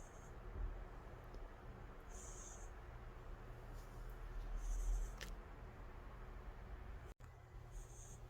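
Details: A calico cat called Angttu snores deeply, each breath giving a faint high whistle spaced a few seconds apart, with one brief click midway and a low steady hum underneath.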